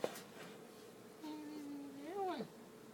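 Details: Domestic cat giving a single meow: a steady drawn-out tone that swells into a short arched rise and fall near the end, with a quiet room background.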